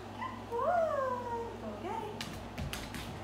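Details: Golden retriever learning tricks gives a rising, wavering whine lasting about a second, followed by a shorter upward whine, then a few sharp clicks and thumps near the end.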